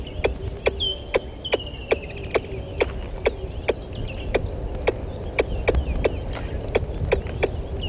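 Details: At the Gowrie dam live camera in Djuma Game Reserve, Sabi Sand Wildtuin, South Africa, 10:41 on 12/09/20, a squirrel keeps calling near the mic: rapid clicking chucks, steady rhythm, with a whistling bird and low rumble in the background.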